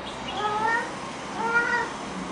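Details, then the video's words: Pet cat at Chinese New Year, excited over a special treat of bak kwa, gives two drawn-out, tonal meows, each slightly rising then falling, about a second apart, in a quiet indoor room. "Kitty Meow Meow Loves Bak Kwa"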